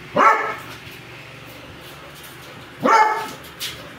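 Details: Pet dogs, a one-year-old beagador and a four-year-old American bully, having zoomies: two loud single barks about two and a half seconds apart, with a short fainter yelp at the end over steady room noise.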